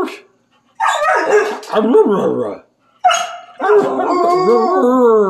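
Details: Happy, excitable Siberian Husky singing quietly while playing with its owner at home: two drawn-out, wavering, yodel-like howling phrases, rich in harmonics, separated by a brief pause.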